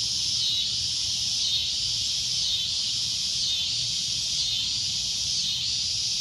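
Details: A cicada's loud, shrill droning: a high, sizzling buzz with soft rhythmic swells roughly every second, steady from start to finish.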